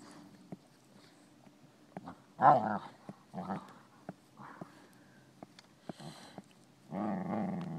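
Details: European Basset Hounds at play at Bellingham Bassets, March 23, 2013; rough growls and short barks in several bursts, a longer growling stretch at the end, with scuffling and clicks between.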